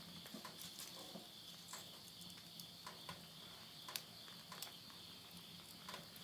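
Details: Late-summer insect voices near midnight in rural Yurihama, Tottori, Japan, September 2020: a continuous shrill, even trill holds beneath frequent snapping crackles from a wood fire burning in a stove indoors.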